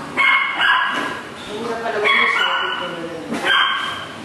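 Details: Young dog at the vet before starting a 15-day training course, fearful of needles and muzzled while blood is drawn, gives high, strained squeals and whines in short bursts, mixed with people talking in Filipino.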